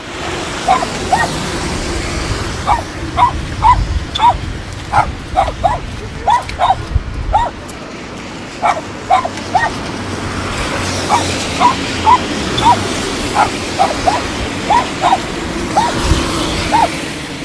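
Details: Dog reunited with its owner after a long time, giving short high yelps and whines in quick bursts, paused midway and then resumed, over steady low background rumble.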